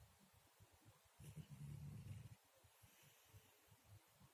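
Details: Sleeping house cat Murzik gives a low, buzzy snore lasting just over a second, set between faint, fluttering breaths.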